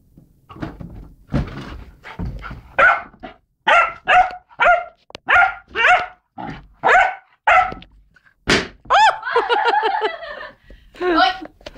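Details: Twelve-week-old Rhodesian Ridgeback puppy named Beau barking while playing with a balloon: a run of loud, clipped, evenly spaced barks, about one every half second, ending in a higher, drawn-out whining yelp and a final bark.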